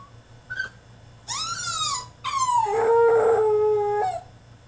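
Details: French Bulldog throwing a tantrum in his cage, indoors: a short yip, then long drawn-out whining howls that rise and fall, ending on a sustained steady tone, with a faint low hum underneath.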